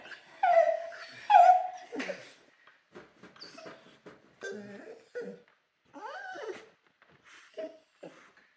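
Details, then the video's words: Dog howling inside a kennel, giving short tonal wails and whimpers that slide downward, several rising-falling cries in irregular bursts with pauses between, some sharp yips, and faint music in the background. "Dog Howl In the Kennel"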